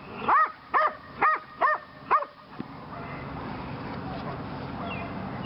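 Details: Lily, a female Belgian Malinois training in PSA on leg sleeves for the second time, gives five quick ringing barks about half a second apart, then falls quiet under steady low background noise.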